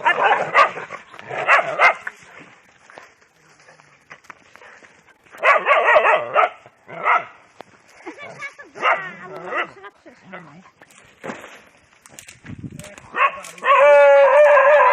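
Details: Domestic dogs fighting each other: rough barking and snarling bursts come in clusters, with gaps between, then a high sustained whine near the end, and human voices in the background.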